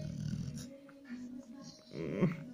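A Chow Chow makes low, throaty grumbling and snorting sounds in short rumbling bursts.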